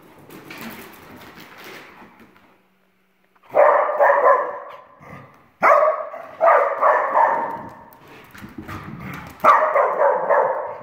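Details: Two Dachshunds, brother and sister, playing and chasing each other indoors; after a quieter scuffling start, loud harsh barks and growly yaps come in repeated bursts, several in quick succession.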